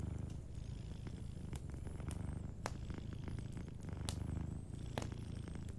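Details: Sleeping cat purring softly beside a warm fireplace: a steady low rumble that swells and eases with each breath, broken by sharp wood crackles and pops from the fire.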